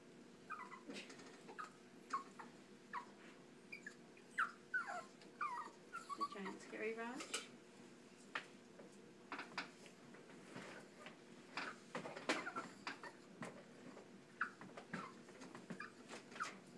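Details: Tiny chihuahua, shown meeting a cat, giving short high whimpering yelps and squeaks in scattered bursts, with soft background noise and occasional speech nearby.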